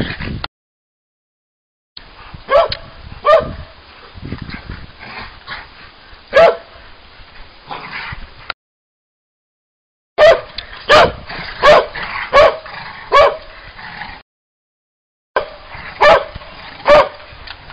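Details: Old English Sheepdog barking and yipping in uneven runs, high-pitched yelps clustered together, broken by several stretches of complete silence.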